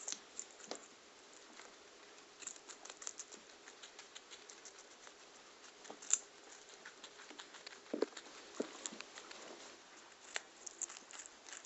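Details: Pet guinea pigs in a herd eat carrots and yellow pepper in their run at floor time. Sparse, soft crunches and scattered sharp bites come at irregular intervals over a quiet room.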